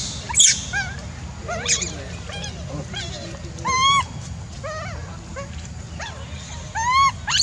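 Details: A crying monkey gives repeated tonal, arching wails, each rising and dropping in pitch, spaced irregularly. Some sharper squeaky sounds come early, over a constant low rumble.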